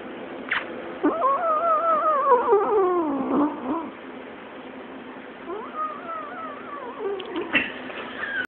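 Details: Yodeling cat giving long drawn-out wavering yowls. One sustained cry slides slowly downward over about three seconds, then a quieter wobbling cry follows, ending with a sharper high note.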